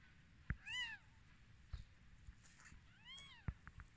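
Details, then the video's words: Newborn kittens on their first day of life, just after the mother cat gave birth: two thin, high arched mews, the first at about three quarters of a second and the second near three seconds, with soft clicks and rustling between. "Baby kittens first day in life"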